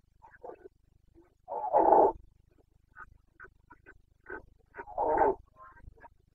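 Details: Rutting Carpathian stag roaring in Bucovina's mountain forests in late September 2022. Two long, full-throated roars stand out among shorter grunting bursts scattered between them, with a quiet background.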